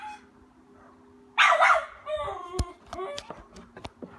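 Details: Miniature Schnauzer puppy in its backyard, barking to drive off a trespassing cat and defend its territory; one loud harsh bark, then shorter yips and whiny notes, with sharp clicks and a steady low hum behind.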